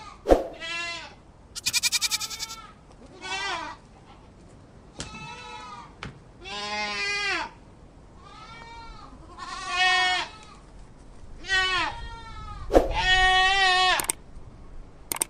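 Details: Goat bleats, labelled a kid goat sound: a series of drawn-out, harmonic, wavering cries every second or two, some nasal and some harsher, with a few sharp clicks between them.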